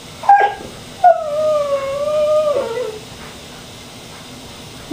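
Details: Pippy, a male pet cat, crying because he was upset at not being taken on a walk: a short high note, then a long drawn-out wavering cry that slides down at the end, with a person asking why he is crying.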